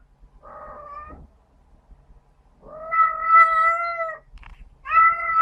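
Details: A female domestic cat gives loud, drawn-out, piercing wailing screams right after mating, said to be caused by the spines on the male's genitals. The sound is commonly heard outdoors during the spring and summer breeding season.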